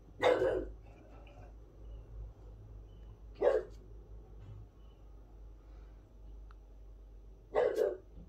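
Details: French Bulldog in a garden barking to tell the neighbours off, wanting peace and quiet; three short, sharp barks spaced a few seconds apart over a quiet background with low hum.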